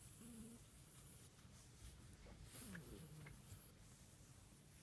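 An Italian greyhound makes a soft, low, rumbling purr, like a cat's, in a quiet room.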